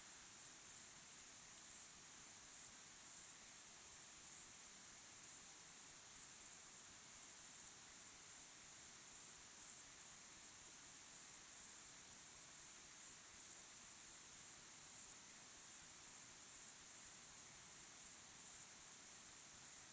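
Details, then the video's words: Sunset recording of crickets chirping in the evening: a sustained, piercing high-pitched chorus beating in fast, even pulses for the whole stretch, with no birds, voices or music. "sunset sky with crickets chirping sound"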